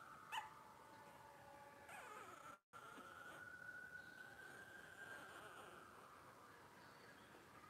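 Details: Twelve-day-old blenheim Cavalier King Charles Spaniel puppies from a litter of five, born to Paris and Spike on New Year's 2023, indoors: a long thin whine that slides gently upward and holds steady, after a brief sharp squeak at the start.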